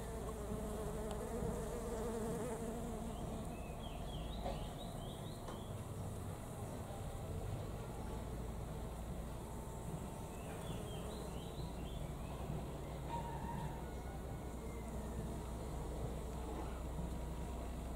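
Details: At home in Thailand, honey bees and other insects visit blooming knotweed, their continuous low droning buzz rising and falling in pitch, with short clusters of high bird twitters twice and soft background hiss.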